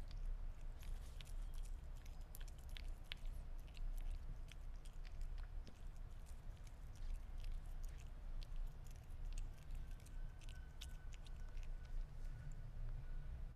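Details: Sphynx cat eating meat indoors, close and quiet: a steady stream of soft, wet chewing and sharp little clicks and smacks from biting, repeated irregularly throughout, over a low, constant rumble of room noise.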